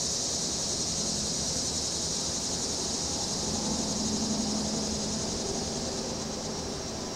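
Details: On a windy afternoon, September 14, cicadas keep up a steady, high, hissing drone while breeze shakes a deck umbrella and distant traffic rumbles underneath.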